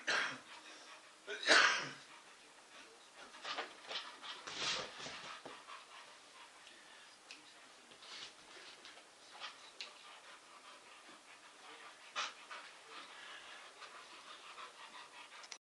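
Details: An English Bull Terrier playing his favourite chase game lets out a loud, abrupt bark, then another a few seconds later, with softer yips, snuffling and rustling between over a faint hiss.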